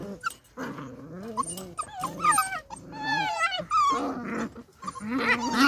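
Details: Beagle puppies playing outside in their enclosure: a run of squeaky whines, yelps and short growly yaps, rising and falling, packed closely with brief pauses between bursts.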